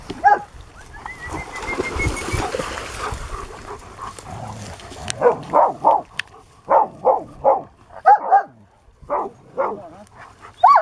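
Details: Leise, a 6-7 year old female German Shepherd, at a rescue ranch in Pleasant Grove, California, in July 2018, among other dogs: a run of short, sharp repeated barks about every half second, after a quieter stretch with a thin whistle-like tone.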